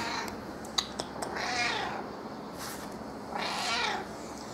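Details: Affectionate pet cat, usually reserved, meowing in a lowered tone while seeking attention indoors: two drawn-out, wavering meows near 1.5 and 3.7 seconds over a steady background hum, with a few soft clicks at the start.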